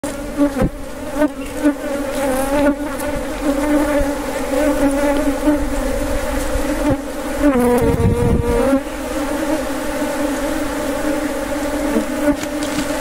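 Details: Wild honey bees at a wild honey harvest, a steady droning buzz with a low hum and bright layered overtones that holds throughout, swelling briefly near the end, with scattered clicks and knocks.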